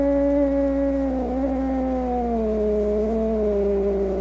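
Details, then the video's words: Angry cat giving a long, low, drawn-out moan that slowly sinks in pitch over about four seconds, a steady tonal wail with a faint constant hum underneath. "Cat Angry Sounds | Cat Snarling, Cat Hissing, Cat Moaning | Angry Cat Sounds"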